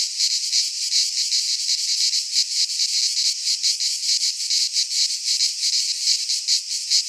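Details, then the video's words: Midsummer cicada chorus in a pine forest in Greece, a loud unbroken high-pitched rasp that throbs in quick uneven waves, nothing else audible. "Cicadas singing in midsummer"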